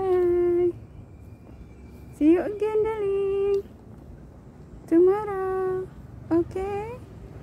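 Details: A cat facing separation from its owner gives four long, drawn-out meows. Each is steady-pitched with a rising start, lasting under a second, separated by quiet pauses indoors.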